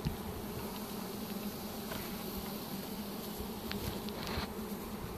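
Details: Bucket full of honey bees from a swarm captured with a pole bucket on 25 March 2015; a thick, steady buzzing hum of many bees, with a brief knock at the start and faint scraping.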